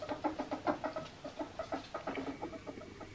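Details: Albino male ferret playing with slippers, giving a rapid run of low, soft clucking pulses, about five or six per second, steady and evenly spaced for roughly three seconds indoors.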